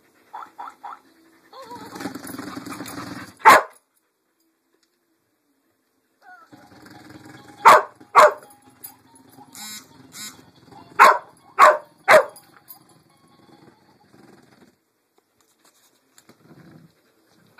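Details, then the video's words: Lucy the dog barking at a Pink Pig Bumble Ball toy: a short bark near 3.5 s, then a rapid burst of four sharp barks around 8 s and three more near 11–12 s, with the toy's buzzing whir and a person talking between. "Lucy barks at bumble ball"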